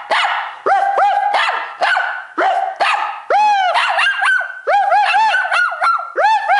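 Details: A pet dog barking during a bark war started by its owner, then reacting as the camera draws closer: rapid, high, ringing barks with rising-falling yelps in quick bursts, nearly continuous over a few seconds.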